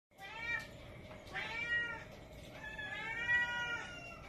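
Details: A one-year-old female jet-black Domestic Shorthair cat awaiting adoption, described as sociable and playful, gives three drawn-out, wavering meows over about four seconds. A steady low electrical hum runs underneath.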